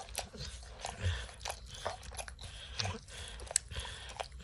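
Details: Max the dog munches kibble and licks peanut butter off an orange mat. Sharp crunches and wet smacks come in short bursts, with a brighter, crisper crackle than steady licking, in a quiet room.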